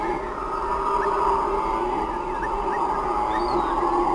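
Howler monkeys roar in a deep, sustained, droning chorus that swells steadily without pause.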